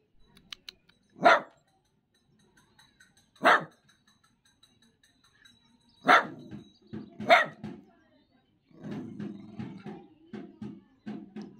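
An Indian Spitz gives sharp, single barks spaced a couple of seconds apart, then softer low sounds.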